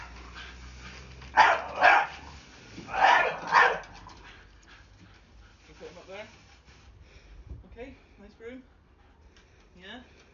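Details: Blue Staffordshire Bull Terrier, a pet scared of a broom, barks twice loudly in a row, followed by a person talking in a high, sing-song voice.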